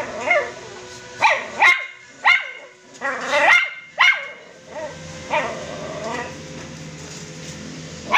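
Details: Crossbreed poodle puppies kept as pets, yipping in spaced, high barks, some doubled, tapering into softer whimpering yelps toward the end with a faint low hum underneath.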